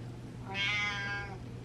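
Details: Butters the cat, a pet seen as feeling ignored and wanting to be the center of attention, gives one drawn-out harmonic meow lasting under a second over a steady low indoor hum.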